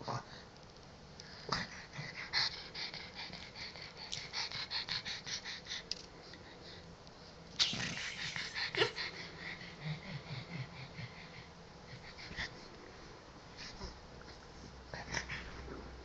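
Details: Jax, a pet pug, plays with his ball in bed indoors, giving raspy wheezing snorts in bursts of rapid pulses, loudest around eight seconds, with quieter snuffles between them and a soft rustle of bedding.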